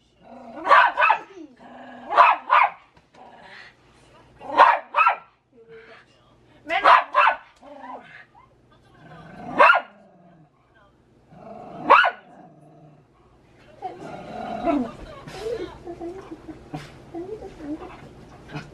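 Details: Dog barking as its owner pretends to hit a baby in front of it: six sharp barks, some doubled, spaced roughly two seconds apart, then a stretch of mixed noise and voices.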